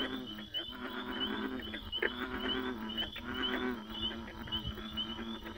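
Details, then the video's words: Overlapping frog croaks form a thick, buzzing wall of sound. Deep droning notes run under quick rattles and brief high peeps, with a sharp click near the middle. "Frogs gone wild"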